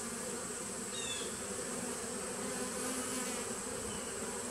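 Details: Low, even droning of honey bees in a small 2017 nucleus colony, 19 September 2018, the buzz steady and unbroken, with a faint high whistle briefly near the start.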